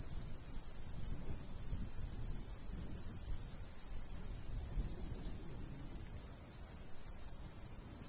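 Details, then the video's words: Crickets in a golden wheat field in the summer countryside, giving short high chirps in a steady pulsing row, several per second, over a soft low rumble of light breeze. "Countryside/cricket sounds"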